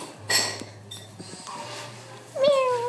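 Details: A cat indoors, with a short high squeak near the start, then a falling drawn-out meow at the end, over a steady low hum.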